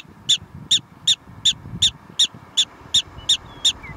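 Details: Prairie dog barking at Theodore Roosevelt National Park: a rapid series of squeaky chirps spaced evenly, roughly two and a half per second, with soft low-pitched background noise underneath.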